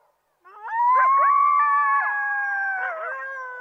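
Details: A coyote group chorus: two or more sustained howls begin after a brief silence and run side by side, gently wavering, with quick yipping inflections partway through.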